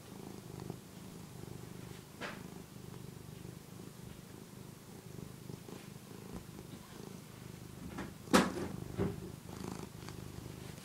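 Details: Phillip, a one-year-old pet cat who nurses on soft textures like a housecoat, purrs in a soft low steady rumble, interrupted by a sharp knock and rustling near the end.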